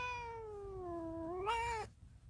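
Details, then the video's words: Domestic cat meowing to be let out, wanting to escape, indoors: a single drawn-out meow of about two seconds that dips in pitch, then rises sharply near the end and cuts off. "Master kitty meowing for escape"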